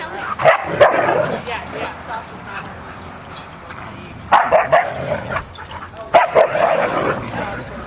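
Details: Play session among about two dozen huskies wrestling and running, dated 4-23-10. A cluster of loud barks comes early, then two more bursts of excited yips and barks after a quieter middle stretch.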